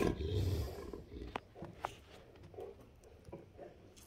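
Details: Two Great Danes, Rhapsody and Wächter, at morning play; a deep, rumbling growl opens, then fades into scattered soft clicks and thumps of movement.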